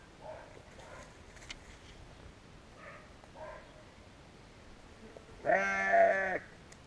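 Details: Faint, short distant bleats from sheep precede one loud, close, wavering bleat of about a second, recorded with a GoPro Hero.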